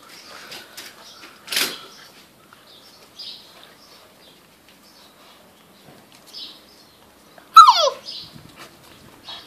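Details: Tosa Inu puppies from Hime's litter at Riona Centrum Kennel in Romania give soft scattered whimpers and rustles, then one sharp high yelp sweeping steeply downward near the end.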